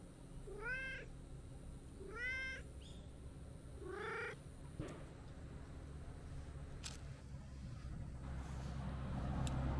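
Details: Brown-tabby-and-white stray cat, woken from a nap in tree shade, comes over to play: three short arched meows in quick succession in the first half, then low rumbling outdoor background that slowly grows louder.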